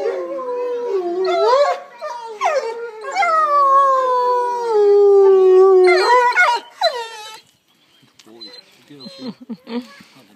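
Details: Three wolves at a wolf centre howl in long, smooth, wavering notes, with several voices overlapping near the end.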